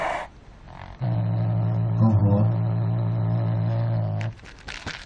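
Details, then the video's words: A cat producing a strange, deep moaning noise lasting just over three seconds, mostly level in pitch with a brief wavering midway, with short rustles and soft knocking before and after. "Cat making a strange noise"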